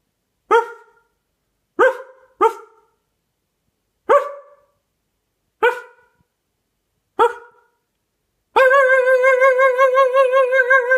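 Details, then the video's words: Loud dog barks, six short sharp woofs spaced one to two seconds apart, followed by a long warbling, quavering howl-like yelp to the end. "GUARANTEED TO MAKE YOUR DOG BARK"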